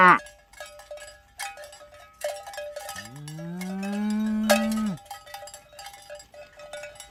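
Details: Village cows herded toward the pen in the morning; one long, level, low moo lasting about two seconds, surrounded by repeated metallic cowbell clanks.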